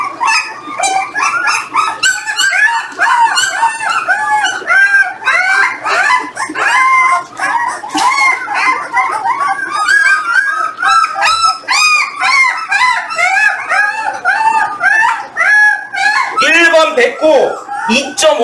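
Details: Eighteen-day-old Jindo pups, weighed one by one, cry together in a dense chorus of shrill, bending whimpers and squeaks, tumbling over each other continuously with brief louder yelps.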